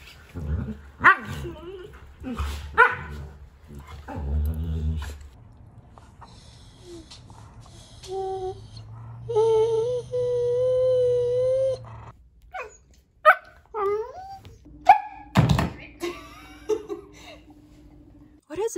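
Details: German Shepherd making funny talkative sounds: short gruff barks and grumbles at the start, then a sustained whining moan, followed by sharp yips and bends in pitch, with background music throughout.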